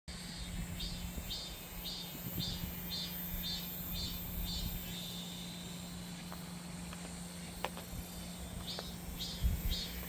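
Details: Cicada singing in summer. High, faint, pulsed buzzing repeats about twice a second over a steady low hum. A constant high hiss runs underneath, with occasional clicks.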